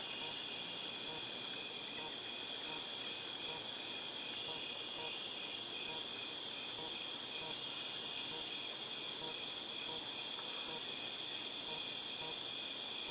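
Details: Loud cicada chorus recorded in August 2018, a continuous piercing high-pitched hiss that holds steady and swells slightly in the middle, with no other clear sounds.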